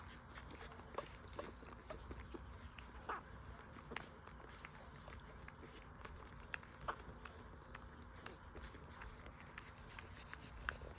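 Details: Five-day-old newborn full-suit French Bulldog puppies breastfeeding: soft, irregular clicking suckling noises run throughout, with a few faint, brief high squeaks from the nursing litter in a quiet room.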